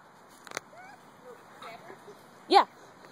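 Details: Traveler, a dog, playing with a biting puppy; faint thin whines early on, then one sharp, loud bark near the end over a quiet background.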